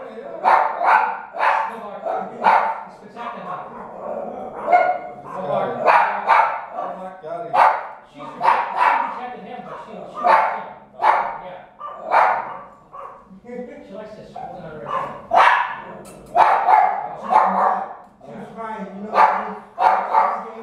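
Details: Jack Russell Terrier in a home setting, giving sharp, short barks in rapid bursts, often several per second, with pauses between runs; people talk throughout.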